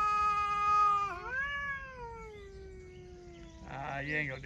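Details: A talking cat gives a sustained meow that dips sharply, rises again, then slowly falls away, followed by a short, harsher yowl at the end.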